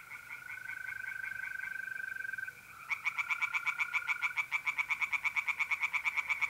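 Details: Tree frogs singing from a pond on an April night in north-east Italy: a steady trill of mole crickets at first, then loud rapid pulsed croaks, about seven a second, repeated over the trill.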